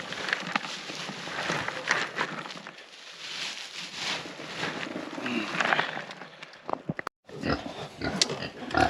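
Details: A sow ("Mama Pig") grunts in rough, low bursts over rustling and clattering as buckets of woodchips and farm animal waste are dumped for the pigs to root through on a homestead.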